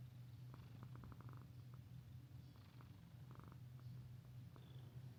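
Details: Mika-chan, the friendly female resident cat of Minshuku Nozaki, a hot-spring inn near the sea in Ito Onsen, Shizuoka Prefecture, Japan, purring steadily and low without a break, with soft clicking ticks scattered over the rumble indoors.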